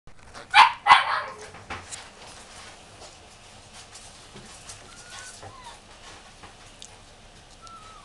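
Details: Long-haired Chihuahua puppy at a pet shop, giving two sharp yapping barks near the start, then quiet shop background with faint squeaky sounds.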